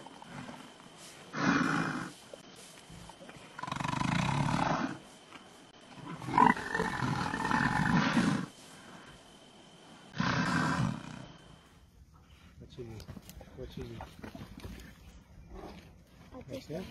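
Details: Male lions guarding a buffalo carcass from hyenas in Timbavati; several loud, grating roaring bursts of one to two seconds at irregular intervals, then quieter rustling and faint clicks toward the end.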